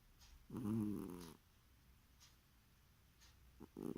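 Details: Sleeping cat snoring: one rough, vibrating, low breath near the start, a quiet pause with faint clicks, then the next snore beginning at the very end.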